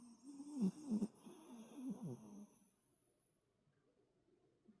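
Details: Toto, a toy poodle and heavy snorer, sleeping deeply after playing excitedly. A wavering, nasal, buzzy snore with harmonic tones rises and falls for about two and a half seconds, then fades to near silence.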